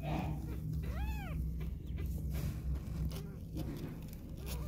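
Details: A mother cat with two kittens, wanting to go out, gives one clear arched meow near the start, followed by softer faint calls amid steady low purring and household background noise.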